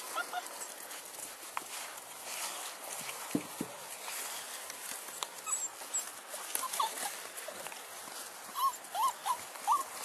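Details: Six-week-old bulldog puppies from a Felony X Noah litter, lively and following people around, give soft high whimpers, then a run of short squeaky rising yelps near the end over steady background hiss.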